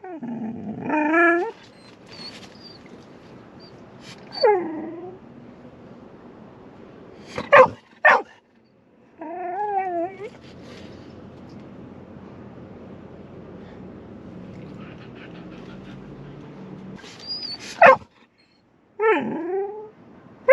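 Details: Golden Retriever waiting impatiently in the back seat of a car on the way to the beach; scattered high whines and yelps with wavering pitch, a few sharp short barks, quiet engine hum between.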